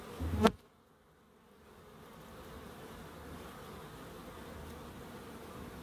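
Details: Garden bees in Crookes, with a sharp knock at the start, a moment of near silence, then a low, even buzzing drone that builds and holds steady to the end.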